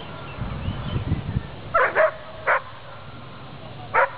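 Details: Beauceron named Faust du Fond des Camps at the 2009 Nationale d'Elevage in La Souterraine, France, during an obedience class heeling off-leash: three sharp barks around the middle and end, after low murmuring speech at the start.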